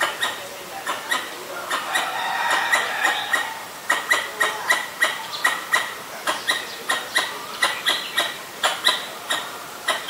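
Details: Pallas's squirrel raising the alarm at danger in Ubon Ratchathani, Thailand, on 1 January 2023, recorded with a Nikon P1000. Rhythmic run of sharp, rasping chucks, roughly two per second, over a bed of twittering birds.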